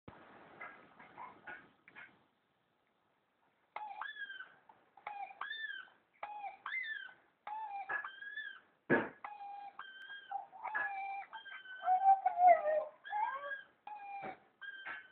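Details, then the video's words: A male White German Shepherd howls along to a YouTube clip in short, tuneful bursts that rise and fall, repeated every second or so. "White German Shepherd Dog howling to youtube clip"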